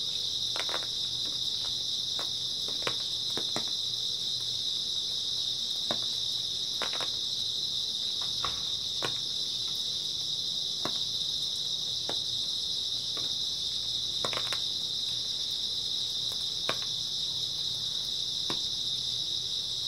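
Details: Early autumn night chorus of grass insects lasting until dawn: a continuous, even, high-pitched shrilling with no pauses, while sparse faint clicks and soft patters sound irregularly underneath.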